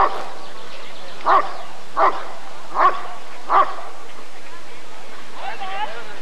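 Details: Rottweiler barking at a 1994 ADRK breed survey (Körung): four loud, gruff barks evenly spaced less than a second apart, then a softer noisy sound near the end over quiet background chatter.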